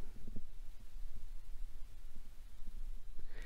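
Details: Low rumbling handling noise and soft thumps with a faint hiss, with no animal voice heard.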